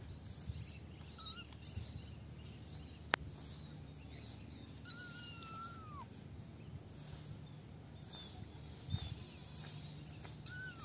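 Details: Kittens in a basket at play; a drawn-out, thin meow that slides downward near the middle, with a few brief faint squeaks and a sharp click scattered over a constant low background hum.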